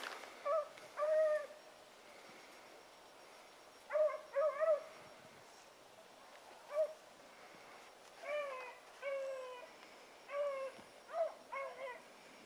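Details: Pups being trained with Sassy, Magnum, Ringo and Boone give short, clear, bending yips and whining howls. They come in bursts, often doubled or tripled, separated by quiet gaps of a second or more.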